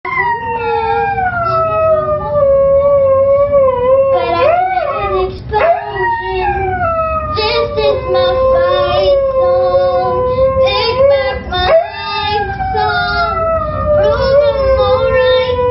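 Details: A Siberian Husky sings along to the song "Fight Song," howling in long, wavering, gliding notes over the music.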